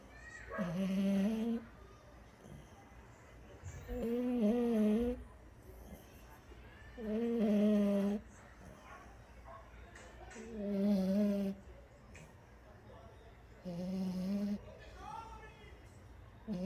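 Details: French Bulldog snoring: low, nasal, slightly tonal snores, each about a second long, repeating steadily about every three seconds, with quiet breathing gaps between them.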